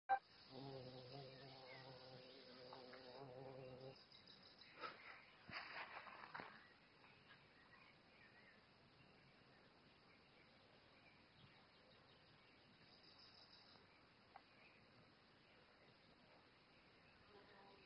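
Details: A violet carpenter bee (Xylocopa) gives a low, steady droning buzz rich in overtones for a few seconds.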